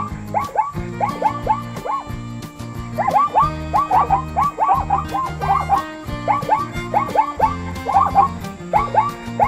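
A zebra gives a rapid series of yelping, barking brays over steady background music.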